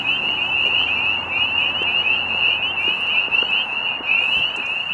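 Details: Spring peepers giving mating calls at Middle Creek Wildlife Management Area, Pennsylvania, at sunset as spring nears: a dense, continuous chorus of high, piercing peeps overlapping into a steady shrill wall of sound.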